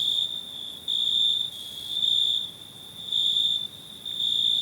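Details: High, piercing cricket trill that runs without pause, alternating between louder and softer stretches lasting around a second each.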